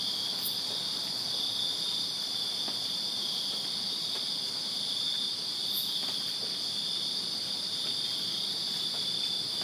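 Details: Summer-night crickets in a Virginia backyard produce a level, shimmering wall of high trills, joined by two brief very high chirps and scattered soft clicks.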